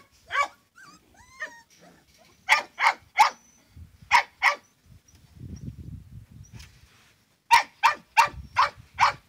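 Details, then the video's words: Hunting dogs barking in quick clusters of sharp yelps, a few faint whistled squeaks early on, a low rumbling noise between bursts, then a final run of rapid barks. "Perritos de Caza"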